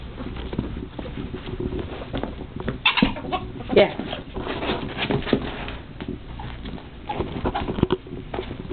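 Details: Pan, one of two male pet ferrets adopted together from a shelter, squeaks while wrestling his companion Puck; a few short, high, thin squeaks break through near the middle over steady scuffling, thumping play noise indoors.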